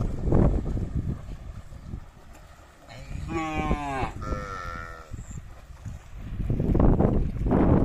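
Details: Cattle herd going down to a river together, one long harmonic moo of about two seconds near the middle, a second lowing right after, with low rumbling noise and wind before and after.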